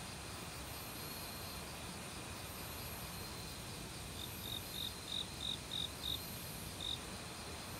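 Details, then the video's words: Autumn cricket chirping in woodland near a creek: a short series of around eight high, clipped chirps in the middle, slightly uneven, then one more after a pause, with rushing stream water throughout. "가을 귀뚜라미 소리"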